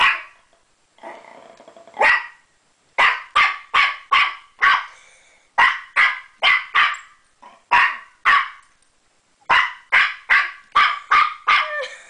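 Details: While playing with a door stopper, a puppy lets out a rough growly start, then bursts of bright, snappy barks in uneven clusters with brief gaps between them.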